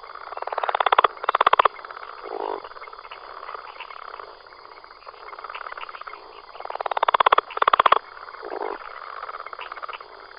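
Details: Frog from Costa Rica, one of several anuran species found there: bursts of rapid pulsed croaks near the middle range come twice, each followed by a lower, softer note, with quieter calling continuing between bursts.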